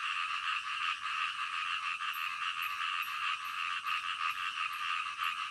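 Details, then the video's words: Frogs croaking together at night in a dense, pulsing chorus; a thin, high ticking repeats about twice a second from around the two-second mark. "SUARA KODOK DITENGAH MALAM"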